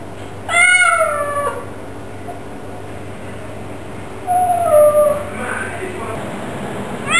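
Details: Bengal cat at home giving a bright arched meow near the start, then a quieter falling meow about three seconds later, with a faint hum in the background.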